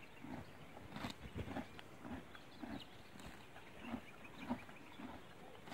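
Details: Grass being torn and chewed by a grazing horse, uneven soft crunches coming in quick succession over a low, quiet outdoor background.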